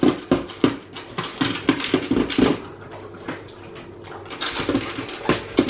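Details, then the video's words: Male Alaskan Malamute impatient at feeding time indoors, uttering short, bright yips and whimpers in quick irregular bursts, mixed with clinking bowls and kitchen clatter in a small room. "Hungry Alaskan Malamute!"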